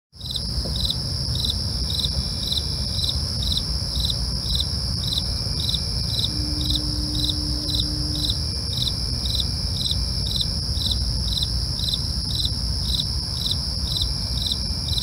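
Crickets chirp steadily in high, rapid pulses over a low rumble of night background noise.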